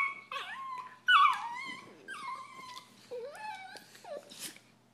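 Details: Italian Greyhound brothers, annoyed and disagreeing, give loud, high, bending whines and grumbling moans, one sharp squeal near the start, then lower sliding whimpers.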